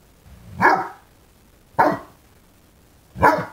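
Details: A 5-month-old male fawnaquin Great Dane puppy, still learning to use his voice, barks at a new candlestick in a window: three deep, gruff barks about a second apart.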